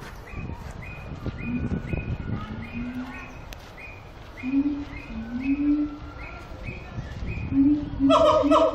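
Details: Siamang singing at Antwerp Zoo: low tonal hoots sliding up and down, repeated about every second, under a faint row of higher short notes, ending in loud, harsh, harmonic barks in quick succession.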